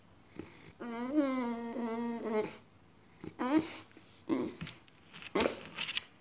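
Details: Female Boxer dog acting strange indoors: a long, wavering, moaning whine of nearly two seconds, then a brief rising whimper and several short snuffling yelps.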